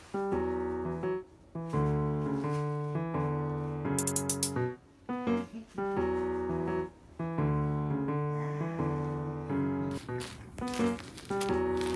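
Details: Piano music with repeated chords and a brief bright chime plays throughout; no animal sound stands out.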